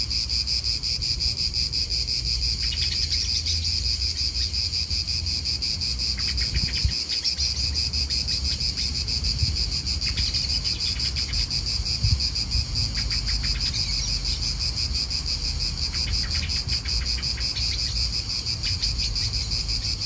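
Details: Italian park cicadas keep up an unbroken high-pitched buzzing drone, while short bird chirps break in now and then alongside wind and low rumbling noise.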